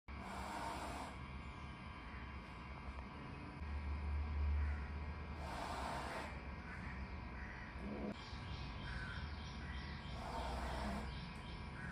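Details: Angry male cat hissing at a rival: three breathy, broadband hisses, roughly five seconds apart, each lasting under a second, over faint low rumbling background noise.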